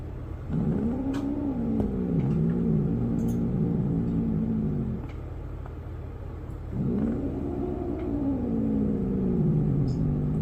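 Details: Cat giving two long, low, wavering yowls, each lasting about four seconds with the pitch bending up and down, over a steady low rumbling background.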